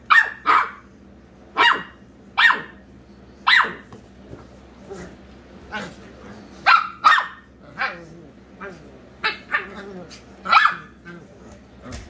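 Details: Playful squabble between pet Corgi Penelope VonFluffyPants and Dachshund Kona Kahuna over the bed: steady sharp barks about once per second, mixed with lower growly grumbles between them and a human voice faintly present.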